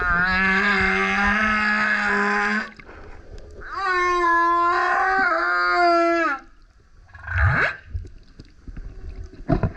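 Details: A male humpback whale sings super loud beside a kayak, giving two long rich harmonic howls separated by a short pause, then brief upward-sweeping whoops and a faint rising note near the end.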